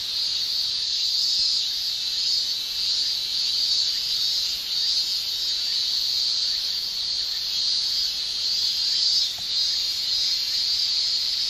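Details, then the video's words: Japanese summer cicada chorus of males using tymbals; a continuous, intense high-pitched shrilling drone with gentle, uneven swells, steady for the whole stretch and free of other noises. "Japan Summer Cicada Shrilling"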